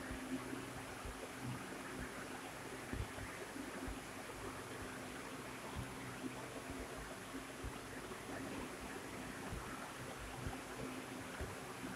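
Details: Steady rushing water like a stream, with a broad hiss across all pitches and faint low rumbles, and no animal voice standing out.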